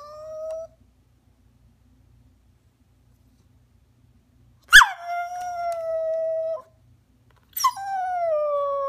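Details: Rat terrier crying and whining while asking to jump onto the couch: long, thin, high whines, each holding a steady pitch for about two seconds and sliding slightly downward, separated by silent pauses.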